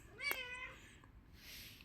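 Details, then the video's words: Domestic cat waiting for food at night, giving one short harmonic meow that rises then falls, followed by quiet rustling and soft background noise. "cat waiting for food night time"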